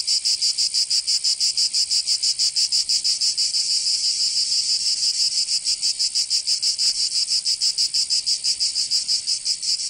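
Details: High, grinding cicada song on a summer day in Provence, southern France, rhythmic pulses near three per second running steadily for the whole stretch with no other sounds.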